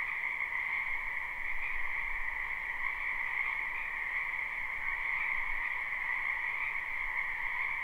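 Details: Spring wetland frogs behind a home, live unlooped recording: a thick continuous croaking chorus in two layered pitches, a mid hum under a shrill upper buzz, with faint low rumble beneath.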